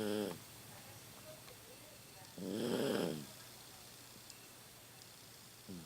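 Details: A 15-year-old Toy Poodle asleep at home, snoring loudly with age; one long rasping snore swells and fades around the middle, with shorter snore edges at the start and end over a quiet indoor background.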